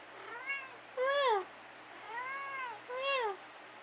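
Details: Middle-of-the-night conversation between pet cat Dusty and his owner indoors: four meows in under four seconds, alternating softer, longer arcs with louder, brighter, downward-sliding ones.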